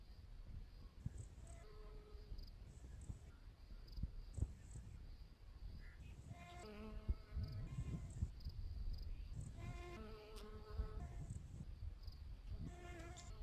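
A honey bee hums past in bursts, its steady buzzing drone swelling and fading every few seconds. A faint high hiss and low rumbling background noise run underneath.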